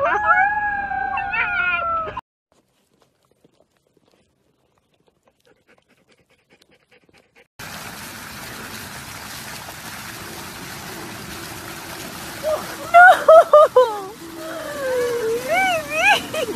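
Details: Golden retriever in a compilation of funny moments: a short burst of high, wavering whines at the start, a long silent stretch, then a steady hiss under which rising and falling howl-like whines return near the end.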